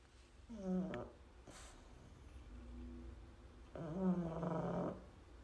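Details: Pug sleeping and sawing logs: two low, drawn-out groaning snores with a nasal, harmonic quality. The first is short and the second, about three seconds later, lasts roughly a second. Quiet room background between them.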